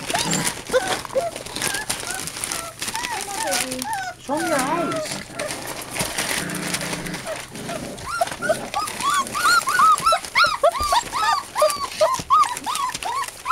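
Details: American Bulldog and Siberian Husky puppies, eight of them, whimpering and yelping in rising-falling squeals, sparse early then dense from about eight seconds on; a person speaks and music plays in the background.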